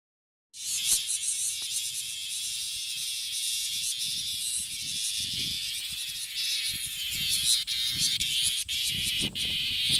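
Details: Male bear cicada singing in a park in Japan's Kansai region, where many cicadas sit on the trees; a loud, steady, hissing buzz starts abruptly after half a second and holds unbroken to the end, with faint low rustling beneath.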